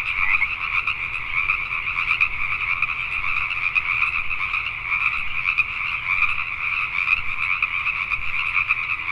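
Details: Night chorus of Pacific tree frogs in Richmond, British Columbia, Canada, many callers overlapping into an unbroken, shrill croaking wall with scattered louder pulses throughout.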